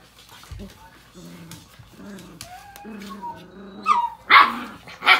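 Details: American Bully named Ms. Cinnamon being a bully: a run of drawn-out, low, moaning grumbles and whines, then two loud, sharp bark-like bursts close together at the end, with people talking in the background.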